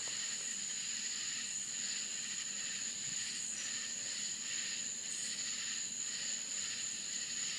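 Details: Florida crickets sing through the night in open country: one sharp, continuous high note plus a throbbing layer of raspy pulses, the chorus even in loudness from start to finish.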